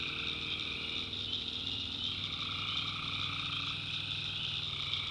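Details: Night chorus of tree frogs in a North Carolina backwoods swamp: a shrill, continuous mass of trilling voices, with a lower sustained note fading in and out and a faint throbbing hum underneath.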